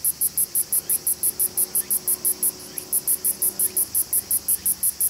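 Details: Kosemia radiator calling from a Japanese red pine twig at Kishiokacho, Suzuka, Mie Prefecture, Japan, mid-August 2018, Olympus E-P5 recording; rapid, evenly spaced high-pitched buzzing pulses, about twenty-three within five seconds, against a quiet backdrop.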